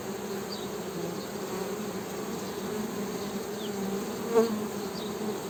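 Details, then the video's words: Continuous droning hum of honey bees, low and even with a higher overtone, wavering slightly in pitch; faint distant chirps and one soft tap. "HONEY BEE'S HUMMING SOUND"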